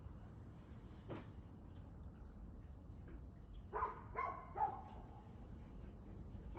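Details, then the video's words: Dog barking on 2/6/2024 at 6:02pm: three short, faint barks about half a second apart near the middle, over steady low rumbling background noise, with one fainter earlier sound. "Barking Dog"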